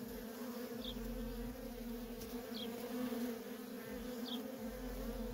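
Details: Steady, loud droning buzz of worker honey bees trafficking at a feral colony, unbroken throughout, with three faint high descending chirps spaced evenly and a low rumbling undertone.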